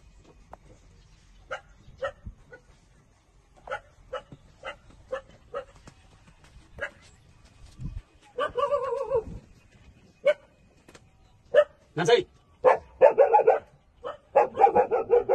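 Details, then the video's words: Newborn puppies, 27 days old, feeding on their mother's milk: a run of short clipped squeaks gives way to longer, louder wavering whines and yelps with strong overtones, several pups calling at once near the end. "Cute puppy 27-days-old sucking mother for milks"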